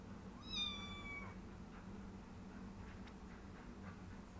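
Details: Three-week-old foster kitten exploring a new bed and play area indoors gives a single high, thin meow lasting under a second, slightly falling at the end, over a faint steady low hum with quiet rustles afterward.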